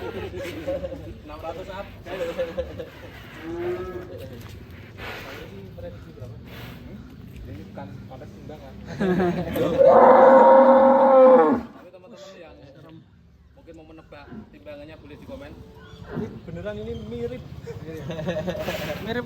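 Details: Giant, heavily built Pegon cow in Indonesia lets out a single loud, steady-pitched moo of about two seconds amid men talking and laughing nearby, with chatter continuing after the call ends.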